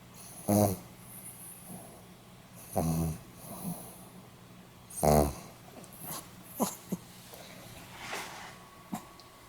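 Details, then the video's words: Snoring of a sleeping Pomeranian, recorded 8 November 2015. Loud rasping snores come about every two and a half seconds, each a broad noisy burst, followed by softer snuffles and small clicks. "ポメラニアン 犬のいびき"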